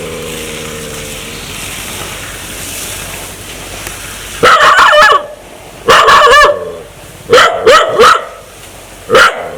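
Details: Dog wanting to bite people, sounding scary: a faint growl at first, then a string of loud rough barks in quick pairs and singles.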